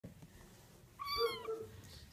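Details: A three-week-old Oriental Shorthair kitten gives a single thin, high mew that wavers and then fades.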